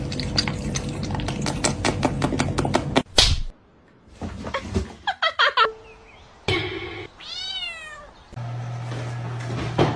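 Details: Kittens meowing: one clear arched, harmonic meow that rises and then falls near the end, after a stretch of rapid clicks and thumps, with music and other household noises in the background.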